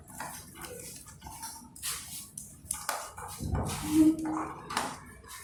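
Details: Angry puppy barking madly while two puppies squabble over food: short irregular yaps and snarls about every half second, with clattering and rustling around them.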